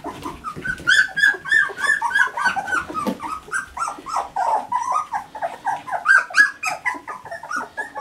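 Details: Three-week-old Standard Poodle puppies inside by the whelping box around breakfast time, making dense overlapping whimpers and squeaky cries that rise and fall in quick succession, several pups calling at once with no pauses.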